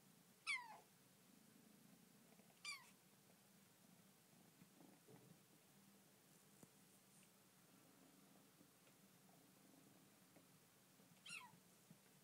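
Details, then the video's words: Bengal kitten Dilly talking in her new home: three brief, high, downward-sliding meows spaced a few seconds apart, with a low steady hum in the quiet room. "Bengal Kitten Dilly talking"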